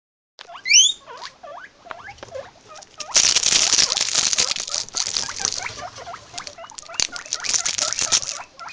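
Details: Guinea pigs give a couple of high, rising whistled wheeks, then a run of short squeaky chirps, before loud rustling and scratching noise takes over.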